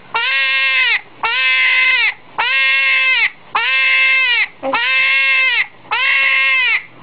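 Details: Hedgehog screaming: six loud, piercing, harmonic-rich cries, each lasting about a second with a flat tone, repeated steadily with short gaps between them.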